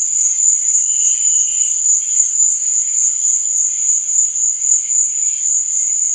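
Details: Shrill, constant cricket trill at night, rising and falling in quick regular swells, with a brief lower chirp early on and faint background insect calls.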